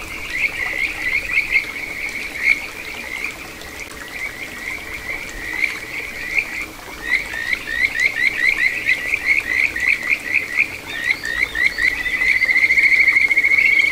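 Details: Wild Kajika frog at a small stream flowing through satoyama in Ichihara, Chiba Prefecture, Japan, June 2022: quick repeated rising chirps, several per second, building into a sustained bright trill at the end, with gentle water murmur behind.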